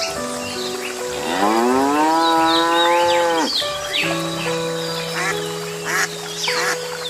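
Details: Cow mooing on a farm: a drawn-out tonal call that swells upward, holds for about two seconds, then drops away. Steady background music plays throughout, with other brief animal calls afterward.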